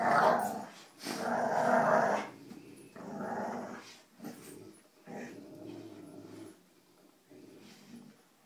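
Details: Pet dogs Cujo, Kali and Lilly growling during a rope tug game inside; strong rasping growls open the clip in sustained waves, then taper into softer, broken rumbles with brief pauses toward the end.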